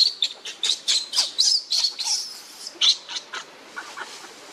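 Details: Hungry baby monkey crying for its mother's milk, giving rapid, piercing high squeals several times a second in an irregular stream that fades toward the end, with a couple of softer lower notes.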